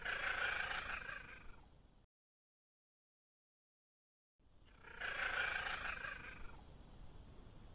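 A Bengal cat gives two loud, harsh meows separated by a silent gap.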